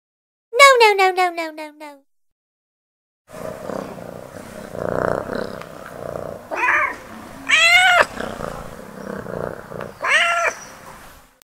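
A kitten gives a few high, thin meows that rise and fall, over a noisy background.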